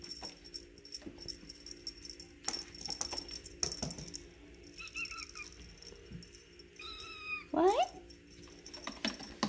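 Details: Eight-week-old silver Egyptian Mau boy kitten at play with a feather toy utters a few short, soft mews and a quick rising squeak near the end, over tapping, rattling play sounds.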